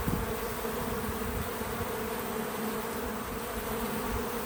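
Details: At a feeder outdoors on a small farm, bees give a constant, slightly quieter droning hum, smooth and steady, with a faint low bump near the start.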